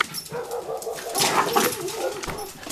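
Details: River, a high-energy two-year-old male Cavalier Spaniel/Dachshund mix, at play indoors: mid-pitched whiny, yelping vocal sounds that rise and fall over steady rustling and scuffling noise, without clear separate barks.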